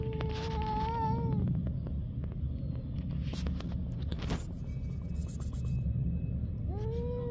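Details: Stray street cats in a fight, one long wavering yowl at the start and another rising howl near the end, with a heavy low rumble and scattered knocks between.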